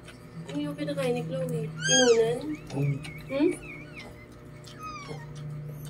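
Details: Newborn Lhasa Apso puppies during their mother's delivery. There are thin, wavering squeals that rise and fall, several in quick succession, with a steady low hum. Filipino speech is heard alongside.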